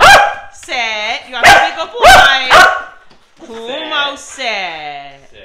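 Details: Fluffy male dog, five years old, eager for his homemade birthday cake: a mix of high, drawn-out whines and three sharp barks, followed by long wavering whimpers, alongside a person talking.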